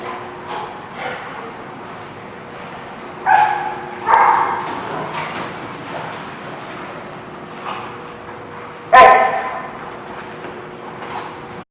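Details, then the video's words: Dogs barking in a lot on 28 November 2016: scattered, irregular barks, a few louder ones standing out, over a steady low hum and background noise. "The Barking Lot"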